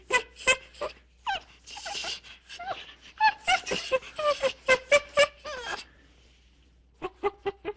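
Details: Monkey in the wild screaming: rapid bursts of short, harsh, tonal shrieks with sliding pitch, roughly four per second, a brief quiet gap near the six-second mark, then a few more clipped cries.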